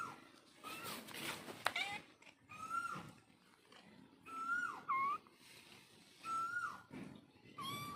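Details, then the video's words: Cat mother calling to her kittens: a few drawn-out, level then dropping meows spaced about two seconds apart, over steady background hiss and a burst of broadband noise near the start. "Cat Moms Love Kitten ll Billi boli meow"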